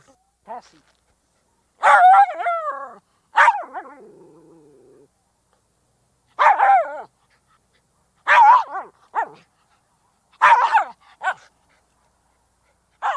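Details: Miniature Schnauzer giving bright, high-pitched barks, some doubled or tripled, spaced irregularly every one to two seconds, with a brief low growl trailing one bark and quiet background.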